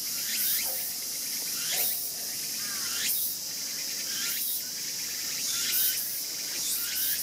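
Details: Young raccoon dog born this year, photographed 14 August 2012 while its sibling bites its tail; sharp high squeals slide downward, repeated roughly every second, over a steady high insect-like hiss.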